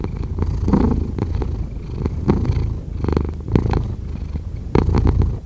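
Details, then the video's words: Cat purr, a continuous low rumbling drone with uneven pulses and a few louder breathy surges near the end. "5 Hours of Cat Purring"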